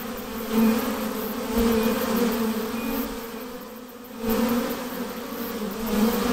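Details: Swarming honey bees being hived make a thick, steady hum, a low droning tone with a bright overtone above, rising in loudness at the start and again after a short dip.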